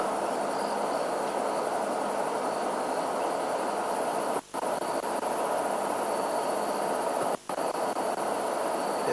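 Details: A dense night chorus of crickets and katydids (longhorned grasshoppers) beside a leopard at a kill, 27 January 2008, a steady shimmering hiss with high continuous trilling, with frogs calling in the distance.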